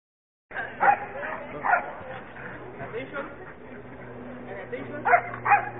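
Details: A trained police Belgian Shepherd gives single deep, forceful barks in pairs with long gaps between them, while people talk throughout and a steady low hum runs underneath.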